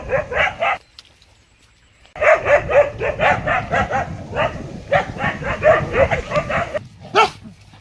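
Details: Rapid, excited dog barking: a short burst, about a second of silence, then a steady stream of sharp, high barks ending in one louder yelp.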